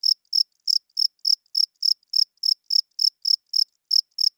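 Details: Male cricket at night chirping to attract females and defend territory; a rapid string of high, crisp chirps, around four per second with slightly uneven spacing, alone in quiet surroundings.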